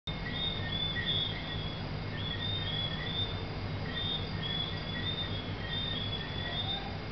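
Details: Tree frogs at Negril, Jamaica, whistle in a chorus of short, high, rising notes over a steady low rumble.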